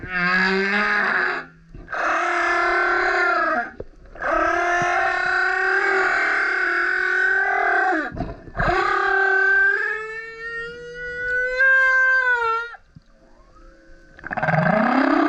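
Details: Male humpback whale surfacing next to a kayak, singing loud roaring and howling units: several long buzzy harmonic blasts with brief breaks, then a clear rising tonal whine and a final upward-swooping groan.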